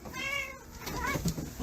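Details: Pet cat named Mo, indoors, heard in a funny compilation of odd cat behaviour: a short harmonic meow, steady then a brief rising second note, over room noise and faint background music.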